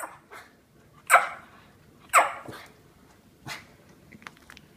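A small Lhasa Apso gives sharp, high yaps about once a second while begging for treats.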